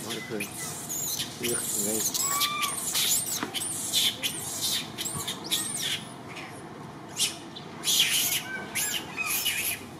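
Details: Little orphan monkey Martin sobbing and crying to call for Malida; high, curved squealing cries, some rising then falling, come in short bursts through the clip over steady background noise, with a few voices.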